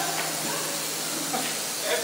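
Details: Eastern diamondback rattlesnake being removed in Clearwater with police on hand, giving a steady, loud, breathy hiss that fills about two seconds without pause, as a man calmly urges "easy, easy".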